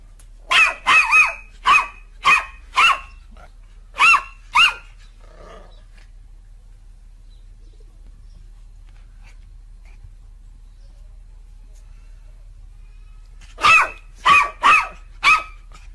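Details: Dog barking in short sharp bursts, a rapid run of about eight barks, then a long quiet pause before another quick cluster of four or five barks; no other sounds stand out.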